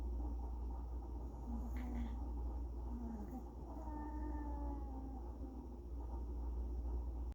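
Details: Strange vocal sounds from a Pomeranian: short low squeaky notes followed by a longer, thin, wavering whine, with a constant low hum underneath.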